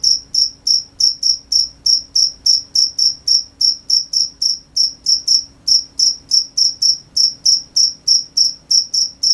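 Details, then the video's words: Nighttime cricket chorus of crisp, shrill chirps, evenly spaced at about three and a half per second with a slight unevenness in rhythm, over a faint low hum. "The sound of crickets at night"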